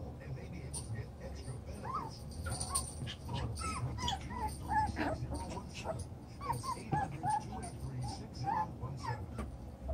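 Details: Seven-week-old chocolate brown Toy Poodle puppies playing in a newly enlarged pen: frequent short high whimpers and yips around the middle pitch range, overlapping from several pups, over a low steady background hum and rustling.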